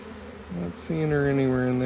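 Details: A honey bee near a hive being harvested gives a brief tonal hum, then a sustained buzzing drone with stacked overtones that sags slowly in pitch over about a second, against a faint murmur of background bees.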